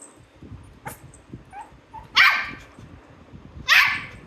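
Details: Shih Tzu puppy, angry because it wants up on the bed, lets out two loud, bright barks about one and a half seconds apart after a few soft yips, with a woman urging it to jump.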